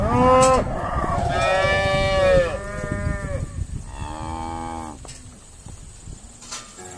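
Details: Irish Dexter cows being sorted at Stone Meadow Farm, a loud first moo fading into a chorus of overlapping lowing calls of differing pitch, growing quieter toward the end, with scuffling and knocking noises beneath.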